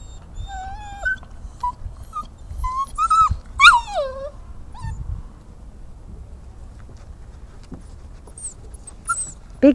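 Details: Great Dane puppy named Merlin on a backyard homestead, coaxed up steps: thin high whines and whimpers, some sliding downward, clustered in the first four seconds, with a woman's encouraging voice between them.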